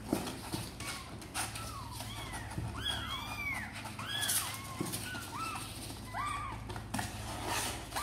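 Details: Sor and Kapov kittens, eager to come out and play, calling in a rapid chorus of overlapping high, arched mews that rise and fall, many within eight seconds, with low background hum and occasional knocks.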